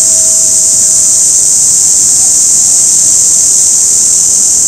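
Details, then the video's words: An orange cicada, found only in cicada season, gives a steady, shrill, high-pitched buzz that holds without a break. "Orange cicada sound and video"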